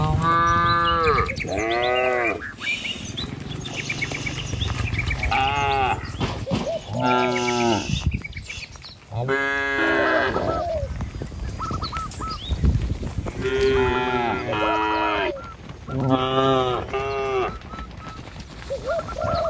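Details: A herd of dozens of tame cattle travelling along a village road to their pen. Many overlapping deep moos, each long and falling, come in bursts every few seconds over a constant low rumble of movement.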